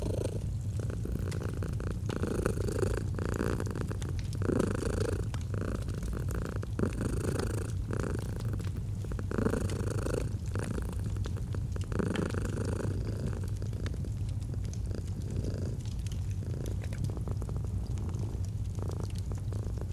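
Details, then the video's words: Gentle purr of a domestic cat: continuous deep vibrating rumble rising and easing with each breath roughly every two seconds, while a fireplace crackles and snaps in the background. "Purring of a Cat"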